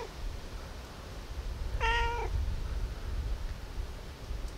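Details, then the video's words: A single clear, level meow from a cat asking for food at about 5 a.m., lasting half a second over a low background rumble. "Cute cat meowing"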